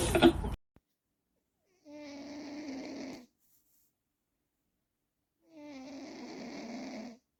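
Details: Sleeping cat snoring, with two soft, rough breaths about three and a half seconds apart, each carrying a faint tonal buzz, separated by near silence; a brief loud burst opens the recording.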